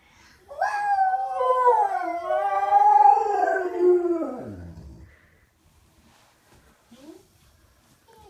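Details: Pet dog Diesel joins young Layla in a howling duet; one sustained wavering howl with layered overtones swells for about four seconds then slides down and fades, followed by quiet room sounds.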